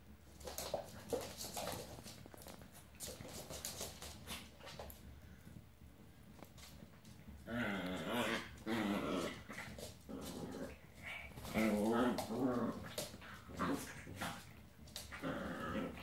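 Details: Old English Sheepdog puppy at 10 weeks playing indoors with other dogs: scattered low growls and rough snarls, louder bursts around the middle and near the end, with clicks and scuffling noises throughout.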